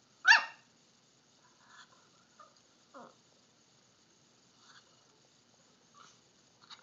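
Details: Frightened Miniature Pinscher reacting to a Halloween pumpkin: one loud, sharp, yappy bark, then a few faint, muffled yips and small sounds over near silence.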